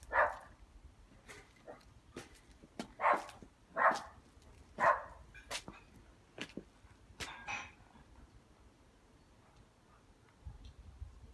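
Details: Happy dog barking in a garden: a run of loud, short barks roughly one second apart, then softer yips and thuds fading out, with light background noise.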